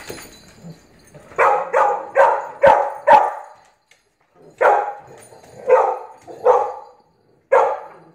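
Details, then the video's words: A Blue Pit Bully puppy playfully 'dominating' an adult Staffordshire Pitbull Terrier; sharp, loud barks come in two bursts of about four, roughly two per second, with short silent gaps between them. "GORGEOUS Blue Pit Bully Puppy "Dominating" Adult Staffordshire Pitbull Terrier"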